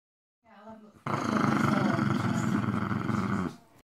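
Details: Patterdale Terrier pet dog growling: a short low rumble, then a loud, sustained rough growl lasting over two seconds with dense harsh texture, ending abruptly.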